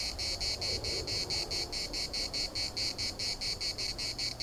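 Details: Rhythmic cicada chorus recorded in Larnaca's municipal park: shrill, dry buzzing throbs about every third of a second, steady and even, over a soft low rumble.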